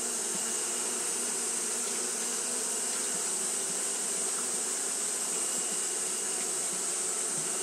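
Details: Japanese honey bees fan continuously in the heat; a steady whirring hum of many wings, low and textured, joined by an unchanging thin high hiss throughout.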